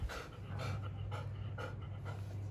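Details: Golden Retriever at a dog kennel, playing; steady rhythmic panting, breathy bursts roughly twice a second over a low background hum.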